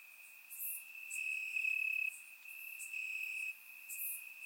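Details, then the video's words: Summer-night crickets chirping in Bulgarian grass, surround recording: a bright sustained trill surges for about a second, then steps down, repeating, with faint extra chirps from other insects high above. "Cricket Sounds - Crickets Chirping at Night"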